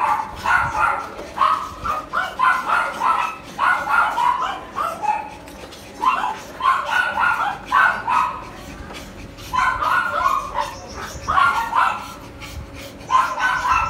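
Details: Poodle at a stud breeding service in Tan Binh District, Ho Chi Minh City, Vietnam, giving rapid bursts of sharp, mid-pitched barks in quick clusters of three to five, separated by short pauses, over a steady low electrical hum.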